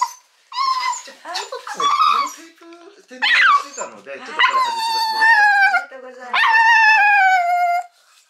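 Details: Mame Shiba named Urara, a female of about eight months, crying loudly when picked up after spay surgery in January 2022. Long, drawn-out, tonal wails, some falling in pitch, separated by short pauses. Human voices mix in.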